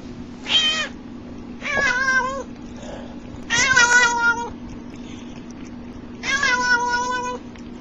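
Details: Cat making funny sounds: four loud, rich meows at irregular intervals, the first short, the others longer and wavering with a nasal, warbling quality, over a steady low electrical hum.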